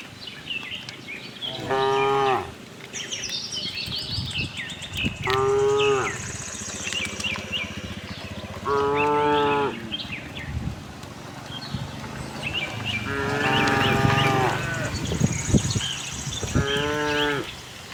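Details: A tame herd of cows roaming a cattle farm in search of fresh grass, mooing in long harmonic bellows about every three to four seconds, five moos across the stretch, with bird chirps and faint background noise.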